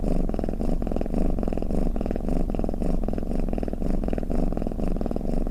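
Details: Domestic cat snoring with a deep, steady purr-like rumble; fine rapid pulses swell and fade in a loose rhythm about twice a second, no other sounds.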